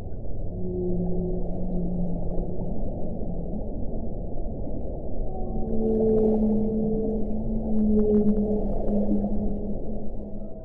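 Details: Humpback whales during a whale-watching sighting; sustained low moans and slightly higher drawn-out tones, layered and overlapping, with brief clicks and a steady background rumble of water and engine noise.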